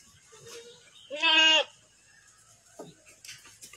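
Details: A fattened farm goat in Vietnam lets out a single short, strong, quavering bleat, followed by quiet barn noise.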